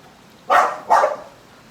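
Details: Two sharp, loud barks from an American Bully, spaced under half a second apart, as the pet grows angry trying to catch bubbles drifting on the wind; low hiss underneath.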